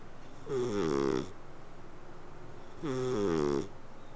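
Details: Cat asleep, making a snoring purr: two drawn-out, buzzy breaths, each with a slightly wavering tone for under a second, separated by about a second and a half of near silence.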